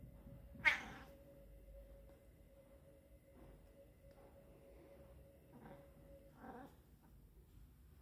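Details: Pet cat with a heart condition, under treatment, talking to its favorite toy: one loud, bright, harmonic meow near the start, then quieter short chirping mews later, over a steady faint electrical hum.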